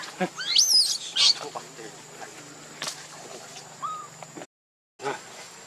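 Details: Baby monkey named Leo crying out in shrill, wavering squeals that rise and fall sharply in the first second and a half, then a short lower whine near four seconds, over soft background noise and a brief dropout.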